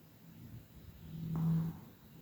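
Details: Chihuahua named Kira Rolexovna from Tver, a kennel graduate, sleeping and snoring: a low, rumbling snore swelling to a louder, steady nasal drone midway, then fading out, in a quiet room.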